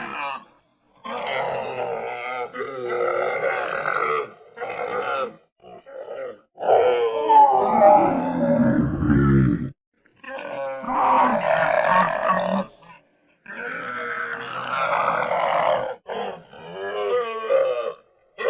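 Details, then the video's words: Camel giving a series of deep, gurgling groans and bellowing roars in bursts of one to three seconds, separated by short silent pauses, rough and throaty with rasping overtones. "SONIDO DE CAMELLO"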